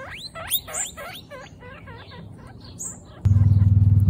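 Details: Young female guinea pigs at their first picnic; a few loud upward-sweeping whistled squeals, then quicker, softer chirps, cut off by a sudden steady low buzzing hum.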